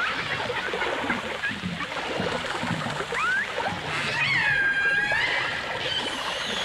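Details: Dolphins, recorded in 1989 together with orcas in full dimensional stereo: a quick rising whistle, then a long, rich, slowly falling and levelling tone, set against crackling clicks and a steady rush of water noise.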